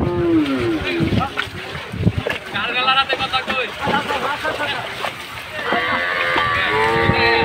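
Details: ["Large cattle unloaded in Bangladesh ahead of Qurbani Eid: several moos, one rising and long near the end, mixed with men's voices and clatter."]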